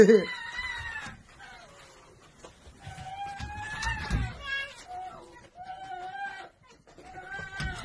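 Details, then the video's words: Happy female domestic red fox greeting a wolf friend she had missed, with drawn-out, wavering whines in several bursts separated by short pauses, and soft human speech in the background. "The happiest fox missed her friend - fox and wolf"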